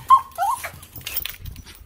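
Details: Chihuahua greeting its owner returning after a weekend away snowboarding; a sharp high whine that wavers and falls, followed by softer whimpers, with snuffling and movement noises.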